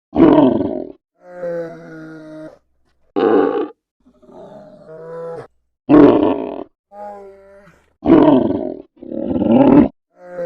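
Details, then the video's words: Polar bear giving loud, harsh roaring bursts of about a second each, alternating with softer, drawn-out tonal moans that hold a steady pitch, all separated by short silences. "FUNNY POLAR BEAR NATURAL SOUNDS"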